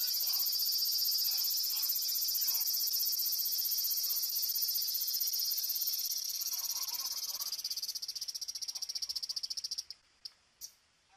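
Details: A wild cicada in Japan, confronting a cat on 13 August 2017: a long, high, shrill buzz that turns into distinct rapid pulses, fades, then stops with a few brief sputtering bursts at the end.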